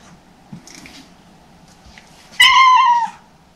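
A Siamese cat gives one loud, drawn-out meow that starts high and slides slightly downward.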